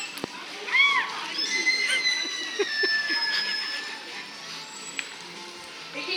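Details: Makaio, a male killer whale at SeaWorld Orlando, vocalises through his blowhole during a show on 10 January 2022: high, drawn-out whistles and arching squeals over a person talking and sloshing water.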